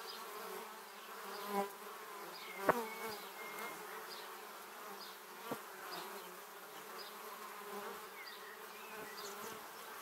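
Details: Lots of honey bees on their way to the beehive pass a Samsung Gear 360 camera: an even droning hum, with a few strong close fly-by buzzes and faint high chirping notes in the background.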